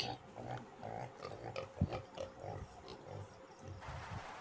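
A pig grunts and snorts in short, low, repeated bursts.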